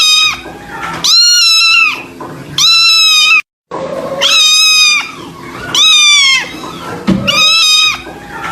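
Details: Mournful kitten meows, loud and high with a clean ringing tone, each lasting under a second and dipping at the end, five cries in about eight seconds with soft low sounds between and a short total silence midway.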